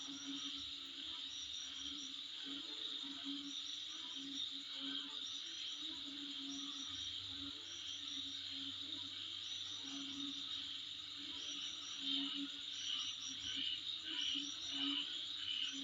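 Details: Insects calling in front of a home: a steady shrill high buzz overlaid with short pulsed chirping trills that recur roughly every second or two, plus a faint low hum and occasional soft background noise.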